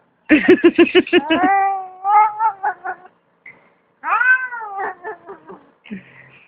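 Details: Cat giving a rapid series of short stuttering meows, then long drawn-out wavering wails rising and falling, repeated several times, with brief pauses between bursts.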